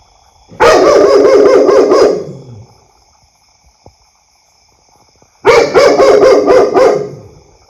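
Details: Loud dog barking in two rapid bursts of roughly six harsh barks each, separated by about three seconds of near silence.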